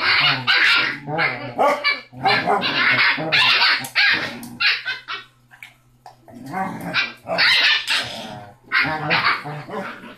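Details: Loud six-week-old Basset Hound pup, smallest of five littermates, barks and growls in harsh clustered bursts, falls briefly quiet midway, then resumes yapping, with a faint hum in the room.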